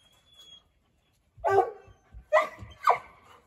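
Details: Massive 85-pound six-month-old Treeing Walker Coonhound puppy, said to love to talk, in his new home: three short, loud, rough barks in just over a second, then quiet between calls.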